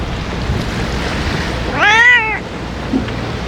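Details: A single clear, arched meow lasting about half a second from a stray ear-tipped cat being fed in strong wind; low blustery noise fills the background.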